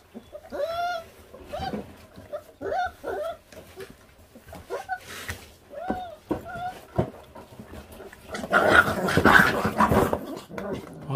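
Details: Five feral puppy brothers, 28 days old, already on guard while stripping raw meat to the bone. Rising-and-falling whines and yips come in a run of separate cries, then give way to a burst of broadband rustling noise.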